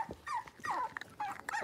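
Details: Blenheim Cavalier King Charles Spaniel puppies, six weeks old, from a litter of five kept in a home puppy pen. Soft, thin whimpers slide downward in pitch, four or five quick cries with brief quiet gaps in a small room.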